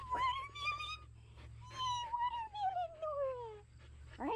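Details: Siberian Husky Nora, trying watermelon with her sister, gives drawn-out whining, howl-like notes: a steady, slightly rising tone, then a longer tone sliding slowly downward, ending with a brief sharp yelp over a low hum.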